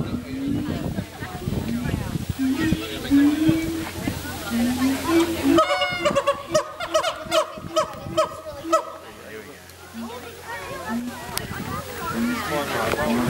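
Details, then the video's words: Siamangs at Western Plains Zoo in Dubbo, Australia, going wild with a rising series of hooting calls that swell into loud, ringing barks and whoops. "Siamang Gibbons - Dubbo Zoo Australia"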